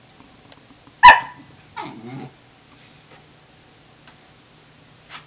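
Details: Wave, a Tamaskan puppy contesting a Norwegian Elkhound's food, gives one sharp, loud bark followed by a brief, wavering whine-growl, then near quiet with faint taps.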